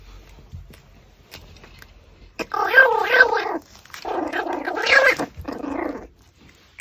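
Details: Pomeranian gnawing a raw pork backbone after soft chewing noises. It breaks into two bursts of wavering, whiny moans, the second ending in a lower drawn-out whimper.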